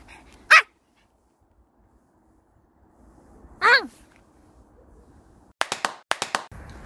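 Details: Dog on a walk through Sorae Ecological Wetland Park and Songdo Moonlight Festival Park, Incheon, South Korea, 21 March 2021, on a windy day. Two sharp, high barks about three seconds apart, each falling in pitch, then a quick run of clicking taps.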